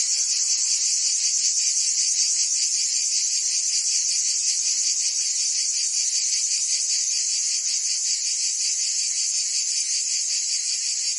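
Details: A mass of cicadas singing in the Provence summer, France: piercing, buzzy, continuous trilling that throbs quickly and evenly, with a faint low hum beneath.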